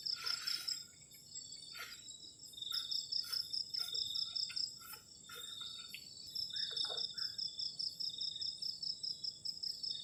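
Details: Crickets chirping on a cold night by a garden shelter at a forest edge: a high, pulsed trill starts and stops in bursts over a steady shrill drone, with scattered clicks and knocks from camp activity.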